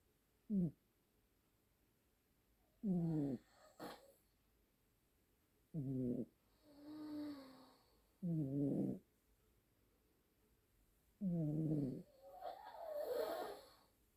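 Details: Pair of sibling Siamese cats snoring in a duet. Short, rough, voiced snores repeat roughly every two and a half to three seconds. Softer breathy exhales fill some gaps, and a brighter wheezy rasp closes the sequence.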